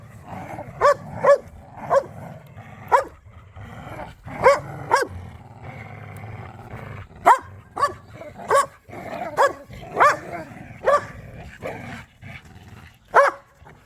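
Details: Pet dog, from a group of pit bulls and a Malinois romping and playing tug of war in a yard, giving sharp, loud barks in irregular bursts about every half second to second, with a rough low rumbling noise between them.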